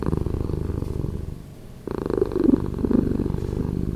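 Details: Domestic cat purring, slowed down by editing: a deep, pulsing rumble that pauses briefly near the middle, then resumes a little louder with faint higher overtones.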